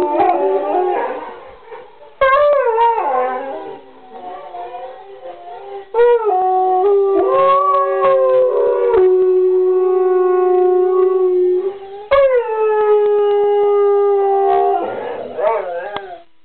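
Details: Joining the rest of the pack, dogs howl in group chorus: yipping onsets break into long, drawn-out tones that sink and level off, several voices stacked, new howls starting about every four seconds.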